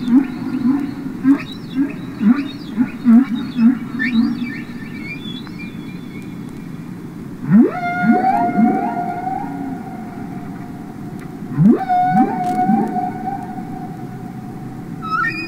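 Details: Humpback whales singing underwater, from the Capitol Records ST-620 recording: a run of short wavering grunts, then long rising upsweeps that level into sustained harmonic tones, repeated twice over fifteen seconds.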